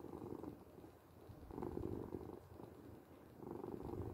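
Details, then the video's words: Domestic cat purring softly for a relaxing sleep recording: a continuous gritty low rumble with three gentle swells, the middle one loudest, no other sounds. "8 minutes of Cat Purring"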